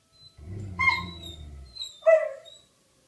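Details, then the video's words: Rufus the Beagle and Axle the German Shepherd, two pet dogs reacting to a tornado siren, give short tonal whining cries: a rising harmonic wail near the middle and a lower, stronger cry near the end, over a faint low rumble. "Dogs Plus Tornado Siren Equals Howling"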